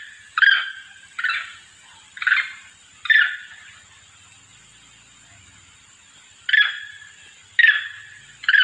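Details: Monkey lure call meant to summon its companions: short, harsh, descending cries sounding in bursts, four close together, then a silent gap of about three seconds before three more, over a steady faint high hiss.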